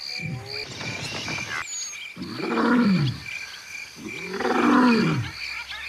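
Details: Barbary lion (Atlas lion), captive at the Paris Zoological Park, France, September 2014: deep, rasping roaring grunts swelling and fading, two strong ones about two seconds apart after softer opening sounds, over a steady high-pitched background tone.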